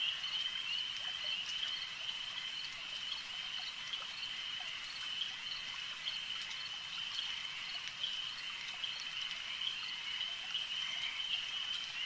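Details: Frogs calling at a lake: a dense, unbroken chorus of high, shrill trilling that holds steady throughout, with faint overlapping clicks and no other clear sounds.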